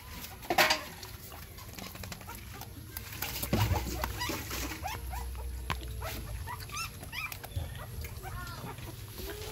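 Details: Puppies breastfeeding from their mother, giving thin, high squeaks and short whimpers scattered across the clip, some rising and falling. Soft patter and suckling noises sit beneath a steady low hum.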